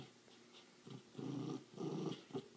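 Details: Puppy at play indoors, a playful wrestling bout: low rumbling growls come in four short bursts over about two seconds, each a dense buzzy rumble, with quiet pauses between.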